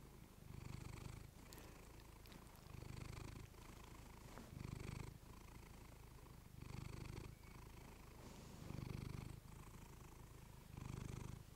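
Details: Female house cat purring into a fluffy microphone indoors; steady deep purr with louder phases roughly every two seconds as she breathes in and out.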